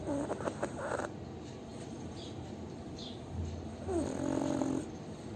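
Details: Pug called Bhuri asleep and snoring: a short crackly breath at the start, a pause, then a longer snore with a drawn-out whistling tone.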